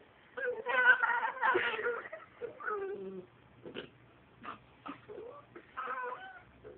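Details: A dachshund "talking" in a series of warbling whines. Louder, quavering yowls open the sequence, then give way to shorter, scattered whimpers and squeaky bends in pitch. A faint low hum sits underneath.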